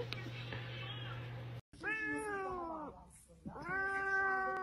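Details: Domestic cat, from a set of clips of angry cats: two long, strained meows with rich harmonics, the first drawn out and falling over about a second, the second rising then held, after a hum and a brief cut.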